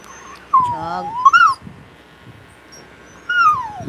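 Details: Buchog, a Japanese Spitz, whimpers in two drawn-out, wavering whines, the first dipping then climbing, the last sliding steadily downward, over a soft background hiss.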